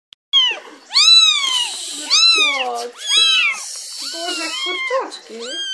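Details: Nine-day-old Russian Blue kittens from a breeding cattery cry shrilly after being taken from their mother: loud, high, arching mews, several overlapping, each rising then falling, about one per second, with a person speaking quietly.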